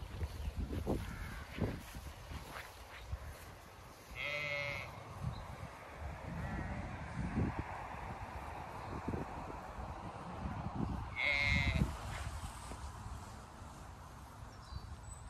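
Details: Zwartbles ewes and lambs at pasture on a regenerative farm in County Kilkenny, Ireland, on a hot May day. Two wavering bleats stand apart, separated by about seven seconds of rustling grass and footsteps.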